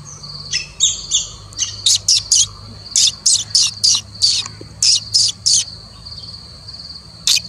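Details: Indian palm squirrel uttering rapid, high, squeaky chip notes, several per second in loose runs, then pausing before one final chip, with a continuous high-pitched drone in the background.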